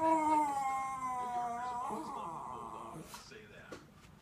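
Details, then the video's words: Schnauzer watching dogs on television, giving a drawn-out howl that slowly slides downward in pitch before fading. Human speech takes over toward the end. "schnauzer talking to tv"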